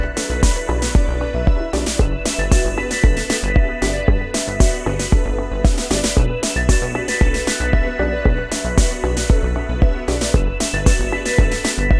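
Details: Steady electronic dance music with a pounding beat and bright synth chords; no animal sound is heard.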